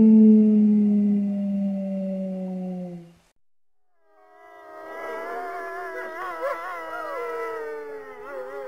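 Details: Wolf howling: a long, low, steady note held for about three seconds, then a brief silence, then several higher howls that rise, waver and overlap in a chorus.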